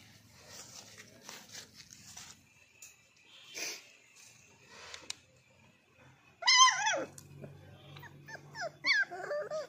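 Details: Labrador Retriever puppy indoors: soft rustling and snuffling early on, then from about six and a half seconds a run of high, wavering whines and yelps that bend up and down in pitch, in short repeated bursts.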